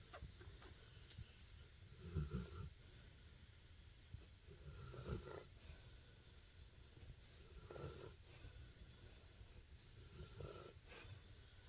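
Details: A Cane Corso greets its owner coming home, carrying a toy, with deep, rumbling, pig-like grunts and nasal moans in short bursts every few seconds, happy; a person murmurs softly between the sounds.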